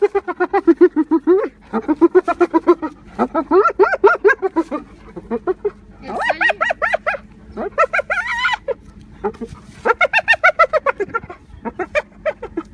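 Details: A spotted hyena giggles in rapid bursts of short, high, staccato hoots, about three or four per second, rising and falling like manic laughter; these giggles signal status, excitement or tension to the pack.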